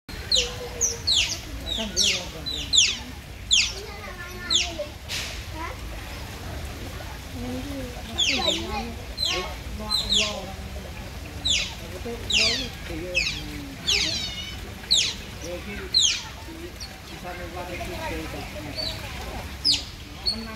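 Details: A group of otters giving rapid, high, sharply descending squeaky chirps in bursts, often several at once, with softer lower warbling squeaks between and steady background hiss.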